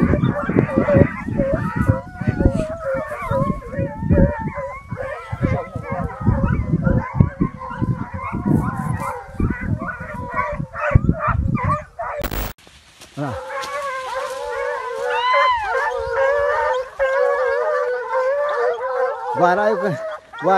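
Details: Six American Foxhounds trailing a deer: first a stretch of bays buried under loud thumping and rustling, then after a sharp break a clearer chorus of wavering overlapping howls from the pack.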